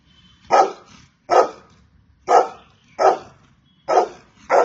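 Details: Rhythmic barking from a Golden Retriever, six forceful barks at under one-second intervals over a low, rumbling background hum.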